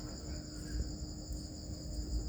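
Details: Farmed crickets raised as a new business, giving a continuous shrill ringing chorus, even and unpulsed, with low-pitched rumble and faint handling noises underneath.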